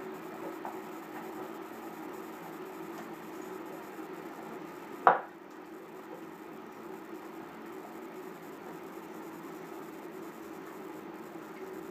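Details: Steady low room hum with one sharp click midway and no animal voice.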